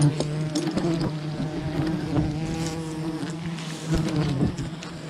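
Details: Loud, low swarm drone from a wild honeybee colony as honey is gathered, many wings buzzing together in a thick, wavering hum with crackling handling noises throughout.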